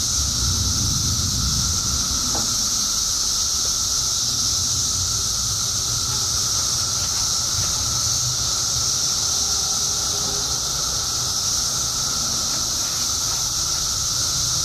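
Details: Periodical cicadas, emerging by the billions after 17 years underground in Illinois, fill the air with a steady, unbroken droning chorus, thick with a shrill high hiss.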